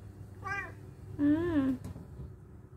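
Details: Domestic cat meowing indoors: a faint short meow followed by a longer, louder, slightly rising then falling meow, over a low steady room hum.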